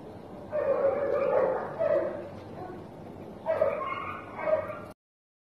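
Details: Black German Shepherd puppy giving two drawn-out, wavering whining yelps, each lasting over a second, over a steady background hiss.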